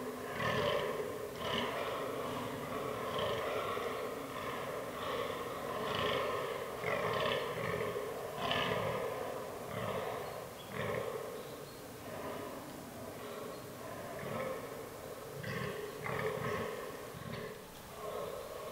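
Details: Rutting fallow bucks in an autumn forest: a steady stream of deep, belching groans, roughly three a second, rich in harmonics and overlapping as if from several males, with a few sharp clicks near the end.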